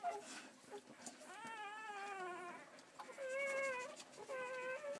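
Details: Belgian Malinois pups roughly ten hours old, from a litter of six males and three females born 1 December 2012, utter thin, drawn-out wavering whines while suckling, each cry about a second long, with soft background hiss.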